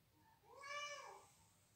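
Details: Single meow heard indoors as a female house cat reacts to cat calls and defends her territory from unknown felines; one clear, tonal, arching call, rising then falling, under a second long, over a faint low background hum.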